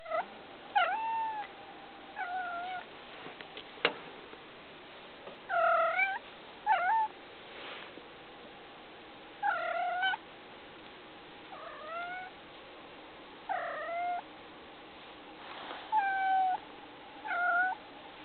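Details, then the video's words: Domestic cat making noise indoors: a series of short, bent meows with a rising-then-falling pitch, repeated about every one to two seconds in clusters across eighteen seconds, over a steady faint background hiss. "the cat making noise"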